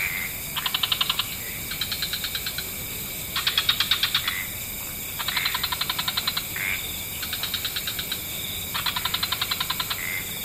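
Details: Dusk chorus of mixed frog species in wetlands: repeated one-second volleys of rapid pulses from alternating callers, separated by short silences and punctuated by brief tonal chirps, with an even hiss underneath.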